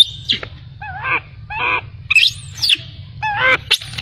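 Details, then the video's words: Abandoned baby macaque crying after its mother left it: short, harmonic, wavering cries around a mid pitch, some rising then falling, broken by sharp high squeaks, with a low steady rumble underneath. "Poor baby monkey was abandoned by mother monkey, crying heartbreakingly"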